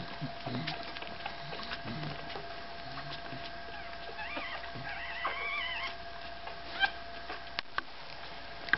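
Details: Five-day-old Staffordshire Bull Terrier puppies. Midway through, thin, wavering squeals rise and fall in two short bursts, with soft shuffling and faint clicks around them in a quiet room.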